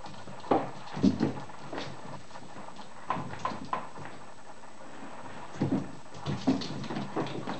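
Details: Litter of whippet puppies, not quite seven weeks old, at play; brief squeaks and small whiny yelps come in scattered bursts, mixed with thumps, paw scrabbling and rustling in a small room.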